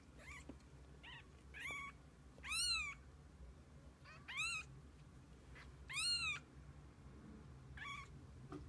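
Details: Domestic cat family, kittens alongside their mother through the day: a run of high, arched meows roughly every second or two, some loud and full, others soft and brief, over a quiet low hum.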